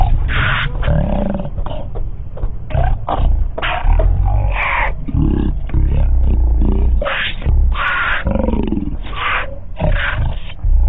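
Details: Pair of lions feeding on a cheetah carcass: continuous low guttural growling broken by frequent short, rasping snarls, some with a rising whine, packed closely across eleven seconds.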